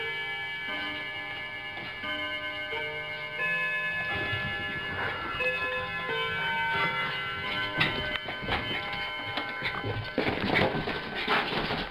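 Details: Sustained chime-like musical tones with rhythmic ticking and soft indoor knocks and rustles, and no animal calls present.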